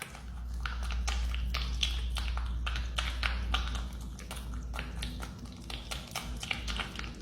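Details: Marmot munching on banana, loud and close, with sharp crisp bites repeated about three times a second over a strong low hum that fades near the end.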